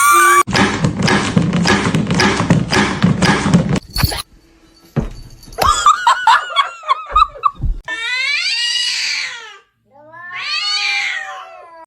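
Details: Kitten crying: two long, high meows with rich overtones come near the end, each rising then falling. They follow loud chatter, speech and laughter from people indoors.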